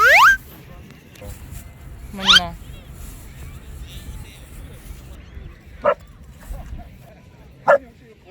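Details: Young female Samoyed born in 2020 at Dadaepo beach in Busan, South Korea, where she went swimming in the sea; two sharp, quickly rising yelps open the recording, followed later by two brief clipped barks over low steady background noise.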